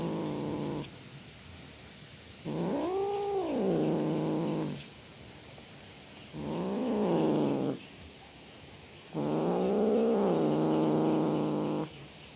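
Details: Cat roaring in a series of four drawn-out wails, several rising and then falling in an arched glide, each lasting one to three seconds with brief silent gaps between them.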